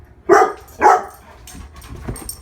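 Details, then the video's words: One-year-old female Labrador Retriever named Lola gives two sharp barks half a second apart, followed by quiet room noise. "MY 1 YEAR OLD FEMALE LABRADOR BARKING"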